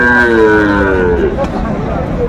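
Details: At a busy Bangladeshi cattle market in Faridpur where a Sahiwal bull is bought, a sustained harmonic moo fills the first second before fading, while traders bargain loudly over prices.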